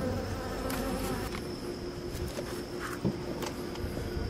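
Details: Western honey bee worker at a clear feeding board, licking sugar syrup through gaps in a floating styrofoam sheet while extending and retracting its tongue; a steady low hum with a few faint clicks and taps.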